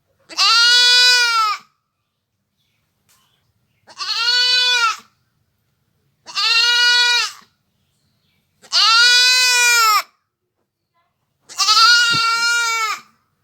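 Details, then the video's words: Five loud, evenly spaced goat bleats from a village goat, each about a second long with a rich, nasal harmonic tone and a slight wavering quaver, with clean silence between them. "goat sounds / really goat sound effect"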